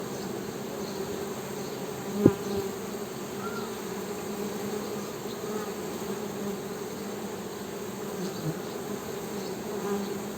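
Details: Western honey bees humming: a continuous low drone with steady bands near the bottom of the range, one short sharp knock early on, no other voices.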